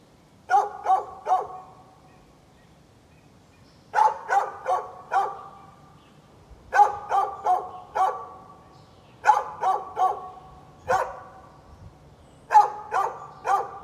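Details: A neighbour's dog barks at birds on 13 November 2020 in repeated bursts, mostly of three or four rapid barks. Short pauses separate roughly six bursts over fourteen seconds.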